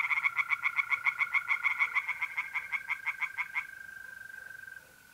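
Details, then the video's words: Mid-April night at a pond in North-East Italy, tree frogs giving a quick series of loud, pulsed croaks that fade out after about three and a half seconds, leaving the level, sustained trill of a mole cricket. "relaxing singing tree frogs in pond"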